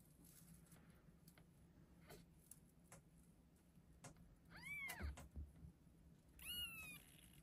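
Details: A litter of six just-delivered chocolate and chocolate-and-white Exotic Shorthair kittens, born 25 February 2024, gives thin, high, arching meows that rise then fall in pitch.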